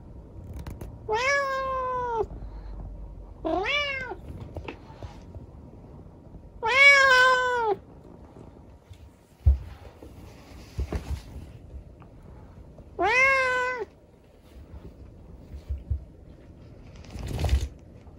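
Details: Rescued kitten with a leg injured in an accident, talking at night indoors: four drawn-out, clear meows, each about a second long with a bright harmonic tone, spaced a few seconds apart. Faint soft knocks in between.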